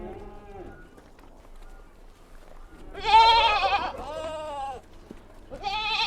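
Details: Goat kids on a mountain farm calling: a faint low bleat at the start, then two loud quavering bleats in quick succession and another rising at the end, with little background noise.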